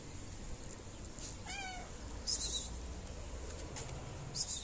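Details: Fluffy stray cat in a Moroccan city, being petted around feeding time, gives one short harmonic meow that falls in pitch, with brief bursts of hissing noise and rustling before and after.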